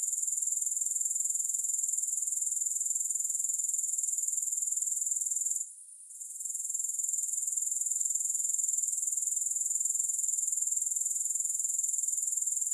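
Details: Continuous high, thin grasshopper trill of fast repeated pulses, unbroken except for a brief hush near the middle before the dense chirring resumes at full strength; no music or other sounds.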